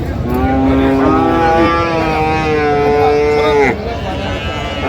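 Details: Friesian or crossbred bull calf at a Narayanganj cattle market in Bangladesh, December: a drawn-out moo lasting over three seconds, its pitch climbing toward the end before cutting off, with busy market noise and voices behind.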